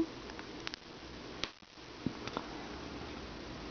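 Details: Quiet indoor room with a few sharp clicks, soft rustling and sniff-like noises over a low hum; no meowing or other vocal sound.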